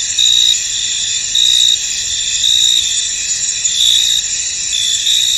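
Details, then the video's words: Crickets in a misty, foggy field: a dense, steady high-pitched trill with louder shrill bursts about every second, layered over a constant insect chorus, with nothing else heard. "Tranquil Cricket Sounds In An Misty Field"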